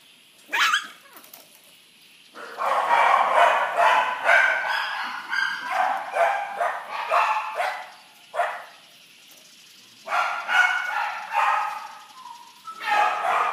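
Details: Corgi dog barking loud and excitedly in rapid runs, several barks per second with rough, yappy tones, broken by short pauses before each new burst.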